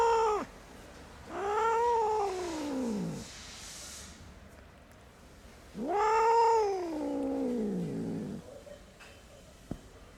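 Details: Abandoned kitten, rescued after two days left freezing in the snow at -11°C, gives two long, drawn-out meows, each rising then sliding down over about three seconds, with a pause between them against a quiet background.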